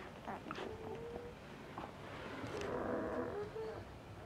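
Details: Five ten-day-old Asian Bear Dog pups, a Tibetan Mastiff and American Akita F1 cross: short thin whines early on, then a longer wavering whine in the middle over soft background rustle.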